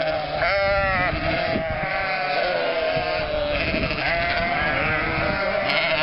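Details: Sheep and lambs bleating as a spring flock of almost 1,000 animals, goats included, moves through the lanes of Mörnsheim in Altmühltal on its way from winter to summer pasture: dense, quavering, overlapping bleats, some drawn out, with hoof shuffling.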